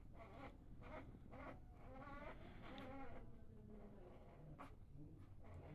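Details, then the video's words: Sleeping Labrador puppies humming softly: a faint, wavering, tremulous hum swells in the middle of the clip, with soft breathy bursts recurring at irregular intervals and a quiet room background. "Sleeping puppies humming sounds"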